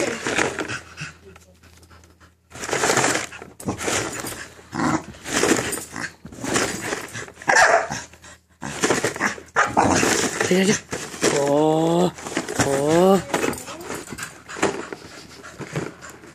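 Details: Minerva, a pet American Bully indoors, confronts a cereal box holding her favourite toy, letting out bursts of short barks and rising, wavering whiny yelps between quieter gaps, while a person talks to her teasingly throughout.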